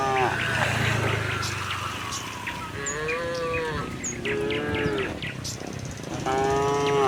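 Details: Herd of tame cows heading to open pasture in gentle morning sunlight, giving several drawn-out harmonic moos, some falling in pitch, one after another, with a brief voice and light bird chirps behind.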